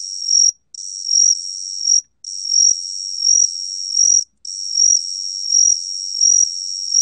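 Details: A Gaksi cricket, recorded by Korea's National Institute of Biological Resources in 2020, gives a steady, high, ringing trill in long bursts separated by brief pauses.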